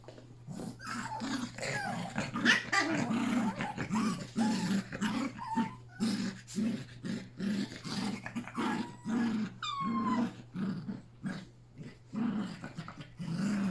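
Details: Play session of three Yorkshire Terrier puppies with Pepper and their mother, late August. Steady rhythmic play growls pulse throughout, broken by a few high falling yelps and whines, with a low hum in the background.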